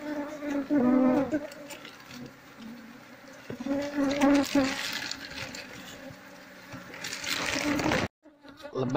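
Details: Wild Asian honey bees (Apis cerana), an aggressive colony being moved into a hive box while the nest is taken apart piece by piece; dense droning buzz with louder swells, handling noises, then a brief cut.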